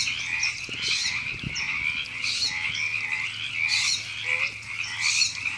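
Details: Many frogs croak in Temescal Canyon Park, Los Angeles, California, recorded April 2017; rough rasping bursts swell over a constant chorus about once a second, with a few faint low thumps early on.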